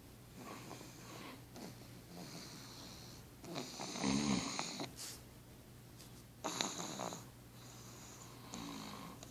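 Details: Pug sleeping beside its owner indoors, snoring in raspy, breathy bursts at an uneven pace. A longer, louder snort-like snore comes near the middle, and quieter wheezy breaths fill the gaps.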